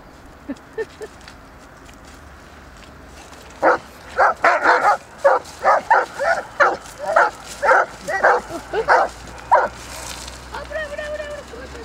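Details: Irish Setter playing in a river in winter, barking in a rapid run of about a dozen sharp, hoarse barks over six seconds after a few soft early yips, then a drawn-out whining tone at the end.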